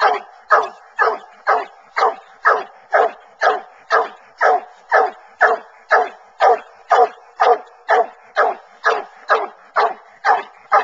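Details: Coon hunting with Bluetick Coonhounds, which run a track in a cornfield and tree in woodland; strong, regular barks at about two per second, each sharp onset trailing off briefly.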